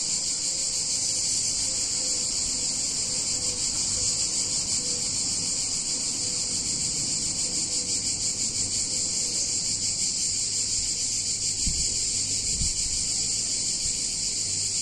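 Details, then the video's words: Cicadas on a hot summer day in a picturesque Italian town: a dense, unbroken high-pitched shrill drone that holds steady throughout, with a faint low rumble beneath and two brief low thumps near the end. "Cicadas In Warm Summer Day In Italian Town"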